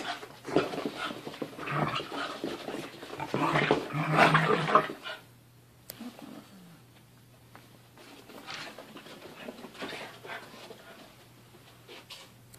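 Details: Playful wrestling between puppy Mochi, seven months old, and her 1.5-year-old brother Churro. A loud burst of growling, panting and scrabbling fills the first five seconds, then softer breathing and light movement follow.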